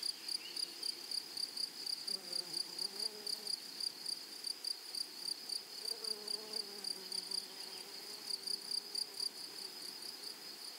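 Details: Flowery meadow grasshoppers singing a continuous shrill, evenly pulsed high-pitched trill, with faint, lower, wavering sounds drifting beneath it at around two and six seconds.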